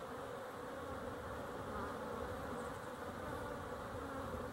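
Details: Continuous hum from a crowd of honey bees recorded 12-11-23, an even, unbroken drone without distinct pauses or other voices.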